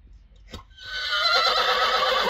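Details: A Friesian mare being moved to the arena during weaning gives a long, loud, wavering whinny that swells after a soft thump and holds strong to the end.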